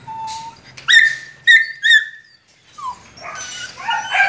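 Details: Male Belgian Malinois with a Duron-coloured coat, offered by a breeding kennel. A thin steady whine gives way to sharp rising yelps in quick bursts, then a tail of mixed whimpering cries.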